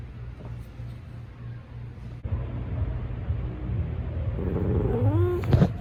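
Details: Talkative male orange rescue cat at a shelter in Pasadena, California, gives a short rising then falling meow near the end, heard over a steady low engine-like rumble.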